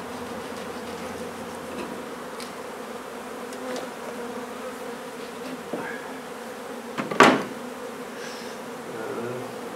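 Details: Colony of honey bees being relocated from an old house in Donna, Texas: a continuous dense humming drone holds throughout, broken near the end by a sharp knock or bang of removal work.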